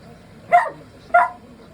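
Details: Miniature Dachshund, a timid young male, barking indoors while his room is being worked on; two loud, short yaps a little over half a second apart against a low hum.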